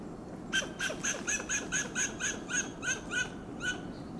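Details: A western gray squirrel on a coast live oak in Del Monte Forest, California, gives a fast series of harsh, barking alarm calls, about four each second.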